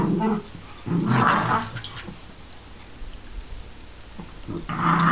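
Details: Two pet dogs playing, a shih tzu/pomeranian cross named Cooper and a miniature schnauzer named Millie; low rough growls in bursts with short pauses between, snarls rising near the start and again at the end.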